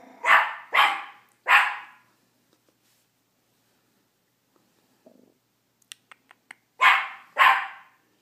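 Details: Chomper, a teacup Miniature Pinscher, yaps at his reflection: three quick sharp barks, a quiet gap with light tapping and clicks, then two more barks close together.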